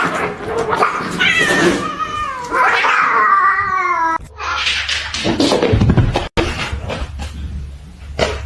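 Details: Kitten or cat meowing indoors: several long, drawn-out wavering meows that rise and fall in a sustained run for about four seconds, followed by shorter broken mews mixed with clattering knocks and background voices.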